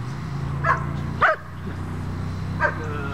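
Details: Puppy in bitework training barks and yips in short bursts, three spaced barks, with a man's encouraging speech and a low continuous hum behind.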